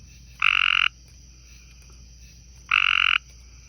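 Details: On a porch beside a pond, a light green tree frog, possibly one of a male and female pair, gives two loud, buzzy, half-second calls about two seconds apart.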